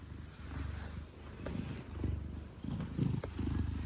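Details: Purring from Gelic, a heavy 10-kilogram Maine Coon held in arms; close, deep vibrating rumble in a few swelling breath cycles.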